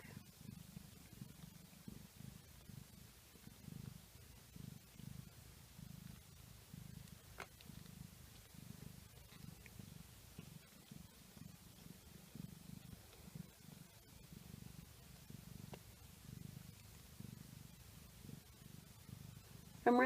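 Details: Domestic cat mother purring steadily indoors just after giving birth to a litter of four kittens, two orange and two black; a soft, low rhythmic rumble pulses continuously, with faint household background.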